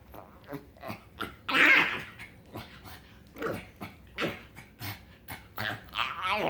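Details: Happy pug dog producing odd snorts and a loud whining squeal, irregular nasal grunts between louder bursts, indoors.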